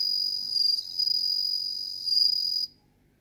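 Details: Bell cricket, Meloimorpha japonica, sustaining a high, bright ringing trill with slight pulsing swells for over two seconds before stopping abruptly into quiet.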